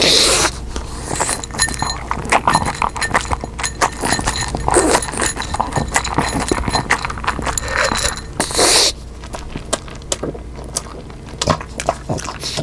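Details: Eating pug Omame captured on a new microphone, no sound effects added: dense crisp crunching and clicking as food is chewed, with brief louder rustling bursts and quieter chewing near the end.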